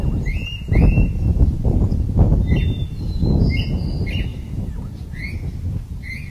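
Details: Lion at a zoo, said to frighten visitors so no one walks past, giving deep, loud grunting roars in a series of surging bursts, with birds chirping high above throughout.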